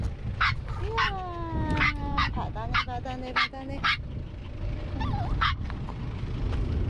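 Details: Maltese dogs from a family of three (male Jamong, female Fanta, their daughter Blue) on a seaside trip; high, sliding whines and short sharp yips burst out about a dozen times in quick succession over a steady low wind rumble.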